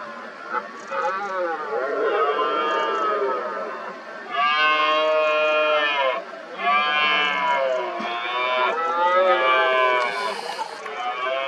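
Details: Several red deer stags roar over one another in the 2023 rut, working each other up to challenge a dominant stag injured in both rear legs. Dense, continuous, overlapping harmonic groans rise and fall with barely a pause.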